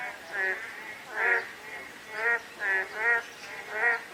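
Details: Frogs calling on a day of light drizzle: nasal, quacking croaks with a ringing, pulsed texture, given in uneven bursts about once a second over a soft, steady hiss of falling rain.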